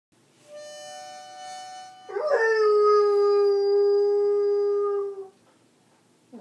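A beagle lets out a long, steady howl that swoops up, then holds and slowly sinks, over a harmonica.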